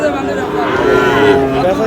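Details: Sahiwal cattle, bulls and calves, for sale at Aftabganj market in Dinajpur on 11 July; a brief steady low moo rises through busy market chatter and bargaining voices.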